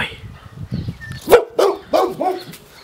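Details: Boxer. A Boxer gives a run of four sharp, throaty barks, spaced about a third of a second apart. Each bark is a brief, harsh burst with a falling tone, and the first is the loudest.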